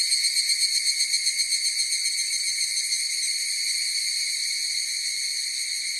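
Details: Higurashi cicadas: the clip opens with clear rhythmic pulses, about four per second, fading gradually into a smooth, continuous high-pitched ringing chorus.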